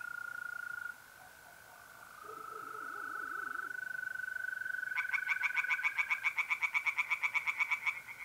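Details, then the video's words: Steady, even trilling of mole crickets by a pond on an April night in north-east Italy, joined halfway through by tree frogs in a fast run of loud, rasping pulsed croaks. "relaxing singing tree frogs in pond"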